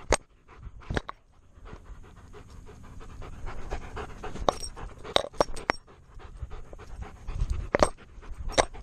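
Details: Alaskan Malamute named Tonka, male, panting steadily with a GoPro strapped to his chest; rhythmic low breathy huffs broken by sharp broadband clicks and knocks from the camera mount.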